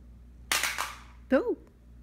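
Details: Blue, a chatty pet Russian Blue cat, talking indoors: a sharp clattering knock, then a short, bright meow that rises and falls in a single arched note lasting about a quarter second.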